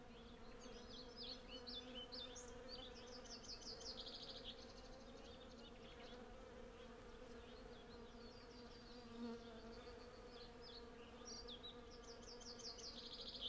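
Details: A continuous low hum from hundreds of honey bees working a cherry tree in blossom runs throughout, recorded on a Zoom F6 with Sennheiser MKH 8040 microphones. Bursts of high, quick birdsong come and go in the background.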